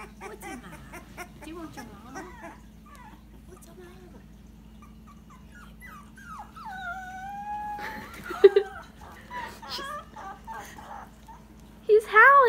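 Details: A male Dachshund puppy howls for the first time, giving thin, wavering howls that slide up and down, with people talking nearby; the owner suspects he may be hungry.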